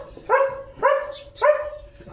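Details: Leo, a pet German Shepherd, waiting impatiently while being told to hold off because a boiled egg is still hot; three short, rising whining yelps about half a second apart, each settling into a steady tone, in a quiet room.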